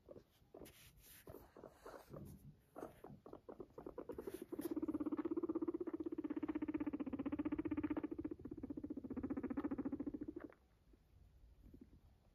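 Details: Pet guinea pig purring after coming to its owner: a few seconds of rustling and soft thumps, then a steady, low, rapidly pulsed purr lasting about six seconds before it stops.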